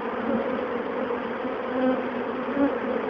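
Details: Over 20,000 honeybees from a colony in an old bird box swarm into a relocation box, making a dense, steady, loud hum with a low droning tone that swells and fades.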